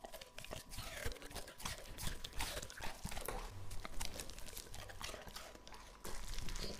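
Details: Lucky, a two-and-a-half-year-old English Labrador Retriever, eats raw meat indoors: dense, wet crunching and tearing bites run almost continuously, with a louder burst of chewing in the final second.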